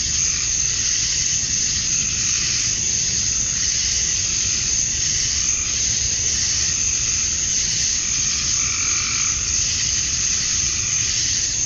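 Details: Male cicadas chirping to attract females at summer dusk in Georgia, USA: a dense, unbroken high-pitched hiss-like drone that holds steady throughout, with faint intermittent tonal calls beneath it.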